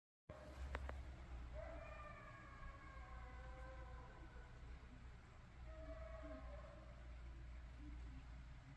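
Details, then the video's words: Coyotes howling wildly, several drawn-out wavering howls rising and falling in overlapping voices, some sliding tones with yips, over steady low rumbling background noise. "Coyotes Howling like CRAZY!!"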